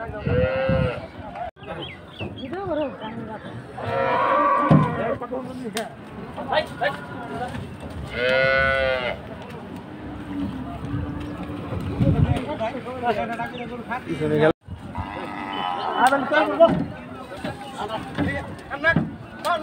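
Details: Cattle at a busy cattle market, an unruly 'mad cow' stirring commotion: loud drawn-out moos with strong harmonic overtones, two prominent calls a few seconds apart, over constant crowd chatter, shouting and clapping.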